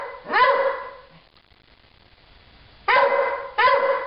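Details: Stella the dog barks at nothing: one sharp bark, a long pause, then two quick barks close together near the end, all full and harmonic over a still background.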